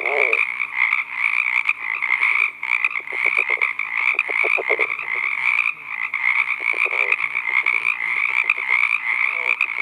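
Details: Male California red-legged frog calling at night from a pond in Southern California, giving its advertisement call to attract a female; bursts of low, pulsed grunting notes under a steady, high-pitched droning chorus throughout.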